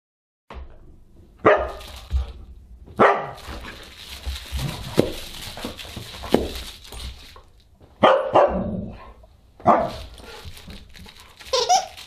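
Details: Husky at a dinner party on December 27, 2022, giving short harmonic barks and yelps at irregular intervals over clattering, noisy room sounds.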